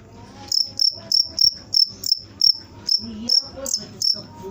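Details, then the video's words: High, piercing chirps from a cricket repeat evenly, roughly three each second, over faint low background tones. "suara jangkrik"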